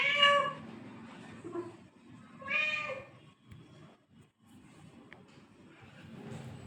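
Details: Domestic cat meowing twice, a bright, strained meow at the start and a longer wavering one two seconds later, then low rustling and faint room noise.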